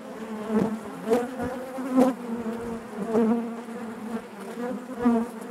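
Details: Inside a honey bee hive, a dense droning hum rises and falls in pulses about once a second, the low tone overlaid with brief crackling taps.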